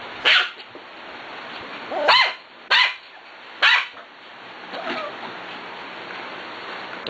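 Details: Six-week-old puppies at play give a series of high, sharp barks spaced one to two seconds apart, then a softer squeaky yelp, with low indoor background noise.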